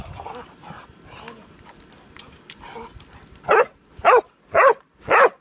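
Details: Pudelpointers squabbling over a bone; after three seconds of low grumbling and scuffling, four sharp, evenly spaced barks ring out about half a second apart.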